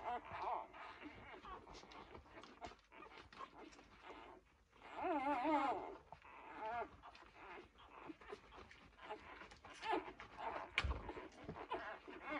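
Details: Two-day-old Labrador Retriever puppies give thin, wavering squeaks and whimpers, with one louder wobbling whine rising and falling midway; rustling and a human voice murmur in the background.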